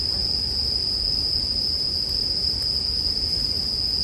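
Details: Steady high ringing of bell crickets over a gentle campfire, made as calming sleep ambience, with a few faint pops and a soft low rumble beneath the continuous insect tone.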